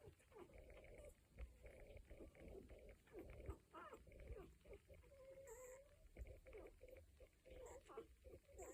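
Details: One-week-old Cocker Spaniel puppies in a litter, making noises: soft overlapping squeaks and thin whining tones, steady and tonal, with several pups crying at once over a low background rumble.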